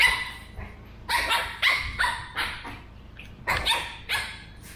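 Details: Burrito, a 13-week-old male Pug puppy, trades sharp high barks and yips with Vanta, a two-year-old female mixed Shih Tzu, in an animated back-and-forth; about seven short bursts spaced roughly half a second to a second apart.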